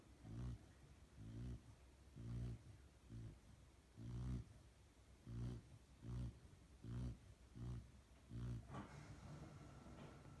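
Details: A female Rottweiler puppy, almost 6 months old, sleeps soundly after coming home from professional training and snores in low, rumbling breaths, each rising and fading in a steady rhythm.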